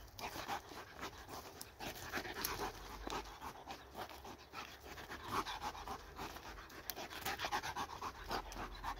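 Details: Excited pet dog playing with a laser pointer, panting in fast, uneven breathy bursts over a steady background hiss, fairly quiet and close.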